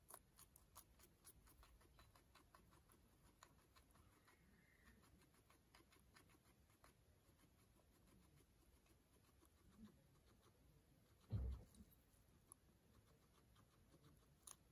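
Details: Pet guinea pig named Pano, a male kept in a Japanese home, eating vegetables; faint crisp crunching clicks tick steadily through the quiet room, with one louder thump near the end.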